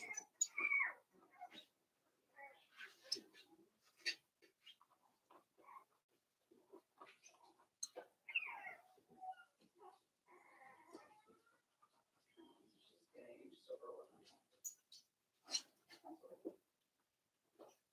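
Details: Four-week-old Cavalier King Charles Spaniel puppies from Daisy's litter in their indoor pen give thin, high squeaks that slide up then down, scattered through the clip among soft clicks, shuffling and rustling.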